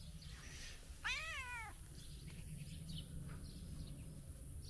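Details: A tabby cat wakes up for breakfast and lets out one clear, drawn-out meow that bends up and then down, over quiet, low background noise.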